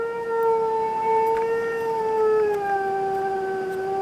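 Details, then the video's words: Pet Siberian Husky howling while watching dog videos: one long, steady, tonal howl held for four seconds, sliding gently downward near the end, with rich clear harmonics. "NORA THE HUSKY HOWLS"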